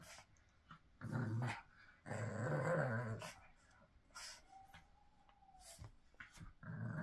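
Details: Pug making two long, rough growling snorts close together, then a quiet gap with a faint thin whistle-like tone, before another short snort at the end.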